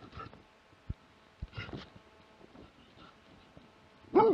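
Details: A Plott hound named Lätti, recorded in 2017, gives a few short barks, ending with one loud, harsh bark.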